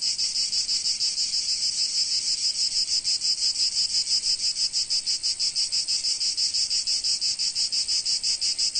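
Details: In sunny Provence in summer, a cicada's loud, high buzzing song throbs in rapid, even pulses without a break.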